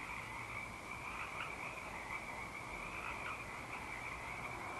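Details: Frogs in full night song, Eaglecrest, 19 March 2012: a thick, steady chorus with a few louder croaks standing out, an owl hooting in the background.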